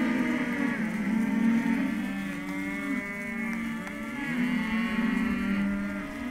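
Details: Group of Hereford calves at a sale lot, overlapping drawn-out moos that swell and fade, several voices at once with wavering pitch and no break in the calling.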